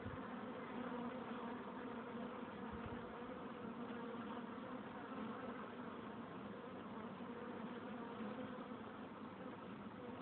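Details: Honey bees humming at the entrance of their hive, a continuous dense drone of many wingbeats with steady low tone and rich harmonics, unbroken for the whole stretch.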